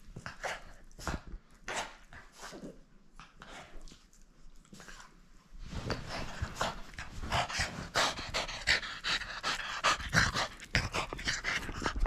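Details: French Bulldog tugging and refusing to let go of its toy: gentle intermittent snorts at first, then heavy, fast, continuous panting grows louder for the rest of the clip.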